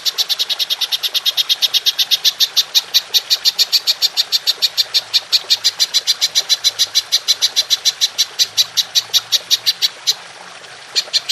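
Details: Golden grasshopper (belalang emas) giving its long 'nembak panjang' call, recorded as Indonesian masteran material for training songbirds: a steady, fast train of sharp, dry, high clicks for about ten seconds before a brief pause and a restart.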